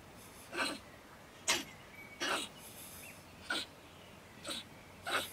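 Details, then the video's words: Female stone marten living in a woodpile beside a shed in Germany, raving at night around 10 pm. Short harsh broadband spits, about six in five seconds, spaced irregularly over quiet background. "Our Ranting Neighbour Mrs. Stone Marten - Frau Steinmarder flippt aus"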